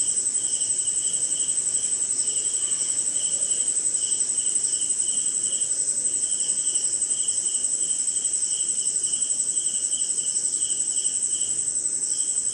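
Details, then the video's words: Crickets and other insects during a short night rain in India: an even, shrill high trill throughout, with a lower, regularly pulsed chirping band nearly constant, over gentle rain hiss. "Cricket & Swamp! Forest Sound"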